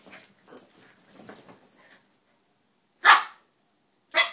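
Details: Two dogs at play, Donut the red toy poodle and Dino the Maltese, wrestling and not fighting; soft scuffles, then two short sharp barks about a second apart.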